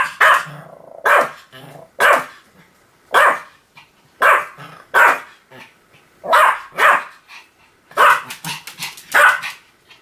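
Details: Pomeranian barking steadily, about ten sharp high-pitched yaps arriving in pairs and singles roughly every second.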